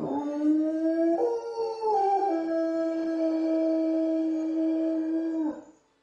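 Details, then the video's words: Czechoslovakian wolfdog howling at wolves: a sustained, steady tonal howl with rich harmonics, stepping upward near one second, dipping slightly around two seconds, then holding level before ending abruptly at about five and a half seconds. "Czechoslovakian wolfdog Howling at the wolves"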